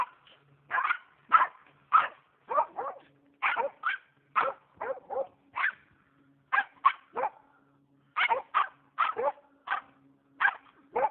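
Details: Squirrel-hunting Norrbottenspets on private land in Oregon, giving a fast, steady run of sharp high barks, often paired, about two per second, over a faint low drone.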